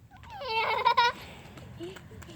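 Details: A 4.5-week-old puppy, one of a litter out meeting new sounds and people, gives a single loud, wavering, nasal whine lasting about half a second. A faint voice and rustling follow.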